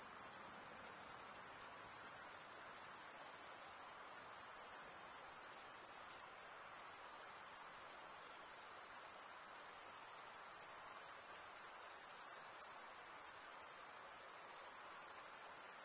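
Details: Male crickets stridulating, rubbing one wing along the toothed vein of the other, make a dense, continuous high-pitched trill that holds steady for the whole stretch, with only brief dips and no other sounds.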